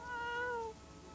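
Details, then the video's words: A North American river otter in Missouri, where otters were restored, gives a single drawn-out, cat-like mew that is clear and tonal, lasts under a second and dips slightly at the end. "otter meowing"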